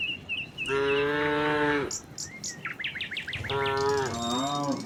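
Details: Two moos from tame cattle running downhill to their pen: a steady one-second drone, then a second moo that slides and wavers at its end, with birds chirping and tweeting between and over them.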